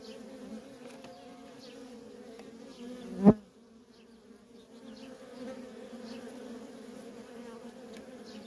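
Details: Worker honey bees in nonstop traffic at a feral colony, a steady low droning hum with a higher overtone, broken around the middle by one sharp loud click before the buzzing resumes.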